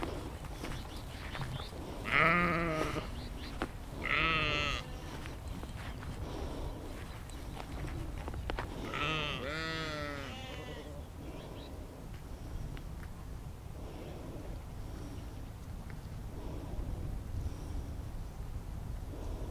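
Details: Sheep in a natural outdoor setting, recorded in immersive spatial sound using an Insta360 X3 and Zoom H2n: a few loud tremulous bleats early on, then a longer wavering bleat, trailing into quieter distant calls and low rumble.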